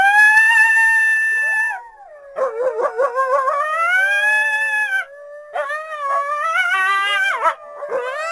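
A coyote gives a long, clear howl that slides gently downward, then breaks into rapid yipping and warbling notes. Further rising, quavering howls follow, with short pauses between bursts.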